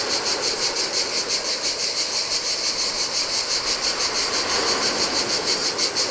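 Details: Cicadas buzzing in the heat at a desolate Adriatic beach on a Greek island; piercing, pulsating drone repeating around three times a second, with gentle ocean surf murmuring underneath throughout.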